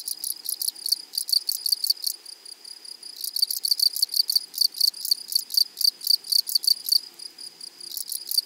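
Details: Meadow grasshoppers stridulating: loud, high, scratchy pulse trains delivered in long rapid bursts, with short pauses between bouts and a steady ticking rhythm throughout.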